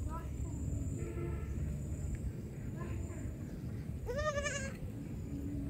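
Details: Young goat calling amid heavy low rumbling noise, with faint tonal sounds early on, then one clear, wavering bleat of about half a second after four seconds.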